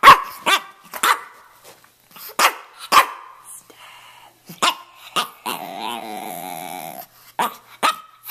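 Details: A red rough-coat Brussels Griffon, a male of about two and a half, living in Miami, makes short gruff barks and grunts, then a longer wavering, nasal moan lasting over a second before more clipped yaps.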